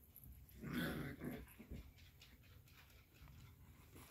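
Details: A dog gives one short, harsh bark-like burst near the start, then a couple of softer grunting sounds, all at low level over a steady low hum.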